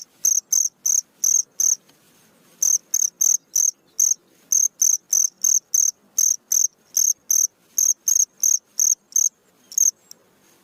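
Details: Night-time cricket song: long runs of short, sharp, high chirps, about three per second, broken by brief pauses into groups, crisp and regular with no other sounds.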